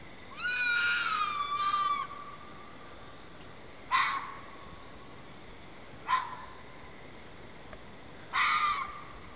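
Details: A red fox heard outside repeatedly over a period gives a long, hoarse, wavering scream, then several short harsh yelps spaced a few seconds apart; the recordist suspects mating.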